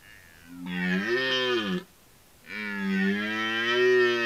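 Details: Close, loud red deer roars during the rut: two long, coarse, deep bellows, each over a second, with a short gap between them. The second is held steadily to the end.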